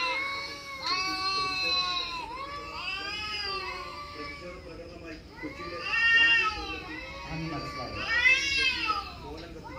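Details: Mature cat hearing cat sounds on a mobile phone, kittens meowing among them: continuous arched, wavering meows rising and falling, growing louder toward a strong wail near the end.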